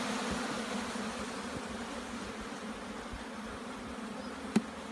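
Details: Jamaican bees humming inside an opened hive as its brood chamber is examined; a continuous even low drone, broken near the end by one sharp tapping click.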